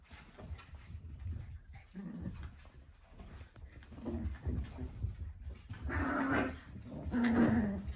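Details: Papillon dogs at a lively indoor gathering, with low grumbling whines and tonal moans rising near the end, the loudest drawn-out whine around the last two seconds, over room noise.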